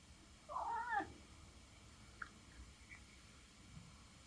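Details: Norwegian Forest cat begging for food indoors: one short, bent meow lasting about half a second, followed by near silence with a few faint clicks.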